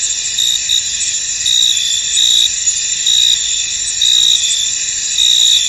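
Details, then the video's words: Field crickets calling through mist, a bright unbroken high-pitched trill with rhythmic louder pulses about once a second, several insects overlapping. "Tranquil Cricket Sounds In An Misty Field"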